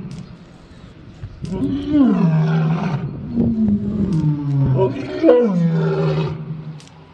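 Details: Lion roaring: two deep moaning bouts, each starting with a rising rumble and then sliding down into a long, low, sustained groan, with quieter breathy pauses between them.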